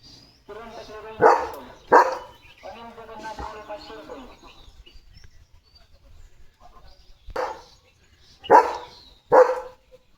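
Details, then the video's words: German Shepherd named Leo, a pet filmed with his new pipe toy, gives loud single barks near the start and a spaced trio near the end, with a man's speech in Marathi between them. "Leo The German Shepherd ची नवीन खेळणी Pipe 🐶 | कसा चावत खेळतोय बघा!"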